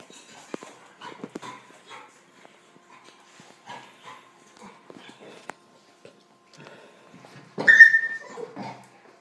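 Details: Dogs, a puppy and a big dog, playing together: quiet snuffling and soft scuffles, then near the end a sharp high whine or yelp sliding downward, followed by fainter grumbling.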